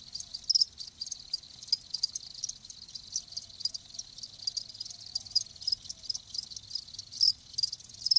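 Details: Live crickets chirping in a dense, continuous chorus, high-pitched trilled pulses overlapping in rapid bursts with faint low hum beneath.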